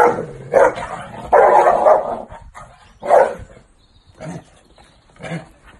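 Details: Dog barking in loud, harsh bursts: a short bark, then a longer drawn-out run of barks, followed by three more spaced single barks that grow softer toward the end, with quiet gaps between.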